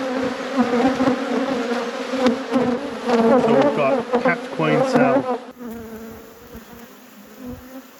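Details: Honey bees buzzing at a thriving apiary hive at peak production, a steady low droning hum with wavering, shifting buzz tones. The buzzing grows louder and busier for five seconds, then settles to a quieter, even hum.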